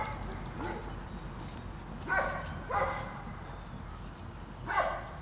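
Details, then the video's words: Presa Canario puppies from a kennel on attack, giving three short harmonic barks spaced about a second apart over steady low background rumble, with a faint bird whistle early on. "Presa Canario puppies on Attack"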